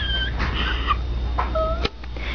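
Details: Pomeranian puppies, two pups of Honey, wobbly and small, making thin high whines and squeals: a sliding tone, a wavering squeak, then a steady held whine ending in a sharp click, over household hum.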